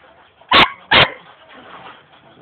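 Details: Two loud, sharp barks half a second apart from a young German Shepherd dog in Jamaica, followed by quiet background.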